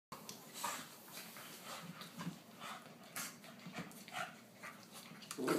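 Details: A Cairn terrier puppy gives short, rough growls and yips in scrappy, uneven bursts while scuffling with an English bulldog that won't tolerate the puppy's attempts to join the big dogs.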